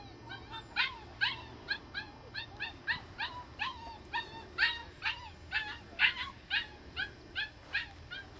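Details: Australian Shepherd puppy Cedar, a seven-week-old red bi female, among a litter of girl puppies: a run of high, rising-falling yelps about twice a second, fairly steady, with faint low background rumble.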